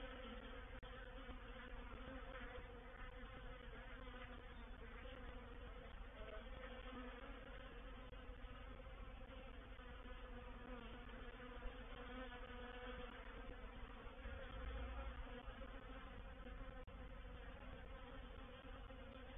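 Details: Thick, constant hum of a reproductive honey bee swarm settling into a bait hive at Painted Peacock Manor on 04/07/21, many wingbeats blending into one droning, layered buzz.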